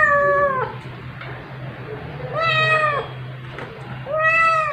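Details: Calico kitten wrestling with her adoptive mother indoors at night, 9 July 2021, recorded by OPPO A5s phone; three clear, rich meows, each held about half a second, slightly arching in pitch, with a low electrical hum beneath.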